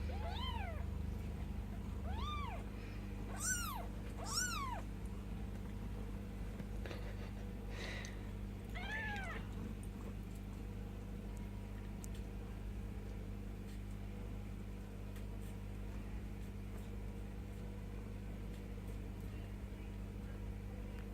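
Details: Bengal kittens ten days old with their mother Mischief Maker: a few high, thin rising-falling mews cluster in the first ten seconds, then only a steady low hum and faint background noise remain.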